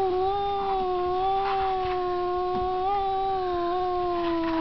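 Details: A big-headed domestic cat holds one continuous, unbroken moaning howl, steady and nasal with gentle wavers in pitch, sustained loudly throughout with no pauses.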